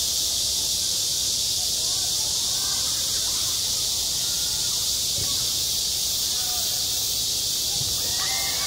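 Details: Cicadas in midsummer at a school playground: a dense, unbroken high-pitched hiss that stays steady and loud throughout, with a few faint short tones low in the background.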